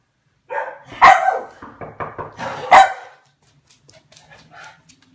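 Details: Hungarian Komondor barking: two loud, harsh barks separated by a run of quicker, softer barks, then faint scattered sounds as it quiets down.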